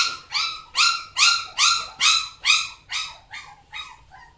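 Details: Alaska Samoyed dog yipping in quick bursts, roughly two per second, high and ringing with a slight upward bend, loud at first then fading and shortening toward the end.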